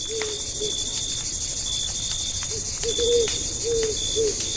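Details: Crickets at night in a deep forest campsite, a steady high shrill trill running throughout, with sharp crackles from a campfire and short, low, arched hooting notes repeating in bursts.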